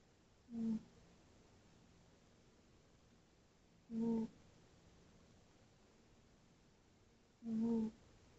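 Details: A tabby cat, Tootsie, snoring in her sleep. Three short, even humming snores come at a slow, regular pace, about every three and a half seconds, over a quiet indoor background.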